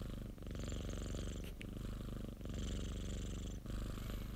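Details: Purring of Popo, a pet cat kept by a colleague, recorded for a white-noise compilation: a steady low rumble with faint airy hiss in breath-like cycles, a soft click near the middle.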